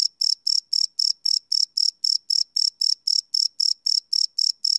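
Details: Live night recording of a cricket: rapid, piercing chirps in a steady rhythm of roughly four per second, each pulse a short ringing buzz, with nothing else heard.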